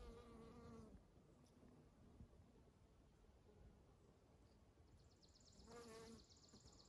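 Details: Honey bees buzzing in spring among Eastern Redbuds: a low, droning hum with a steady harmonic tone sounds for about a second at the start, then again briefly near the end as a bee passes close, over quiet background hiss.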